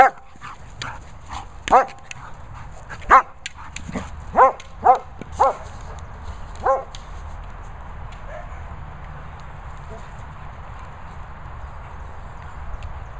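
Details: German Shepherd named Lucy playing with a boomer ball, giving a series of short, sharp barks and yips clustered in the first seven seconds, irregularly spaced, followed by quieter background noise.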